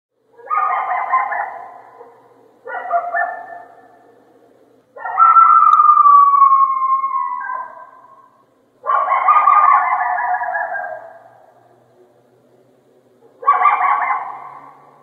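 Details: A coyote (Canis latrans) gives hoarse barks and a drawn-out, falling howl, with pauses between each sound.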